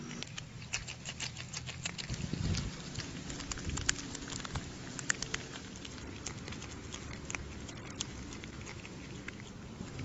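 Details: Groundhog (Marmota monax) eating noisily, with rapid wet crunches and clicks over a low rumbling background.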